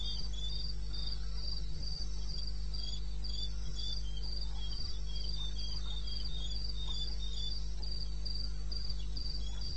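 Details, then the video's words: Night chorus of crickets in eastern Botswana's wilderness, recorded 21 May '16 around 02:30 AM; bright pulsed chirps come in a regular stream, roughly 214 a minute, with a lower second caller and constant low-pitched background hum. "1 Hour cricket sound"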